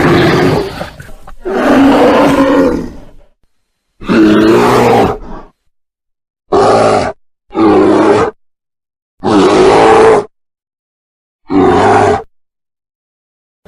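A bear gives deep, rasping roars and growls in short bursts separated by silences.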